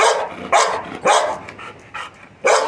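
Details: Milky, a Labrador Retriever, 'shouting' in a run of loud, sharp barks, with bursts about half a second apart and a pause before a final bark near the end, softer yips between them.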